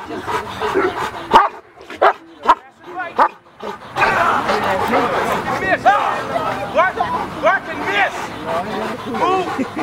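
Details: Male Cane Corso in its first bite work training session, giving a rapid run of harsh, arching barks through the second half, with people talking and giving handling instructions throughout.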